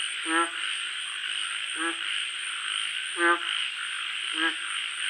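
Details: At night, a frog repeats brief, reedy, buzzy croaks at uneven intervals of one to one and a half seconds, over night insects' constant shrill hum and a thin, high whine.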